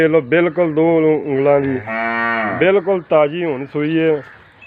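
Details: Nili-Ravi buffalo in Pakistan, shown for sale: loud, rich lowing broken into short rough bursts, with one longer drawn-out moo in the middle before more clipped calls.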